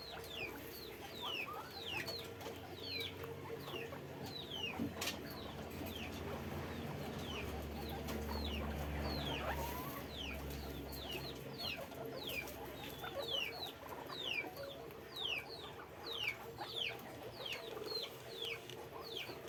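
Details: Numerous guinea pigs kept in a cage at a guinea pig farm keep up a busy stream of short falling squeaks, uneven in rhythm, with a low rumbling hum swelling midway.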